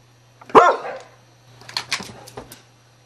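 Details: A Beagle barks at sound effects played from a computer: one loud, ringing bark, then quieter, clipped sounds over a low hum.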